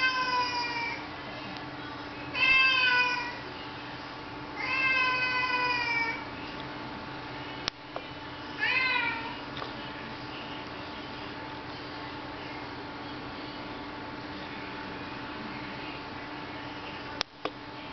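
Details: Mooch the domestic cat keeps meowing, asking to be let outside on a rainy day; four loud, long meows in the first nine seconds, spaced a few seconds apart, followed by quieter room hum and a couple of clicks.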